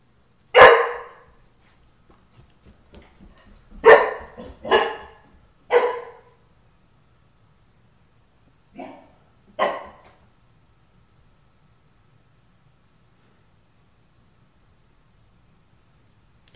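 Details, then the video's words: Pet dog protecting its house, barking at the doorbell by the front door indoors: loud single barks in short bursts, about six over ten seconds, then quiet; owner calling the dog nearby. "our protector"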